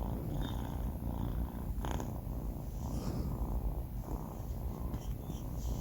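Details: Deep, steady rumbling from Banh Mi, a sleeping four-month-old male kitten, a low drone holding level throughout with soft breathy swells and a faint rustle around the two-second mark.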